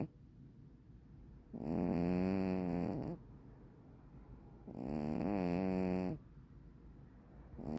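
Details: Black-and-white hachiware cat, fast asleep, produces two long resonant snores about three seconds apart, each a droning, slightly warbling hum rising and falling with the breath, with a quiet room in between.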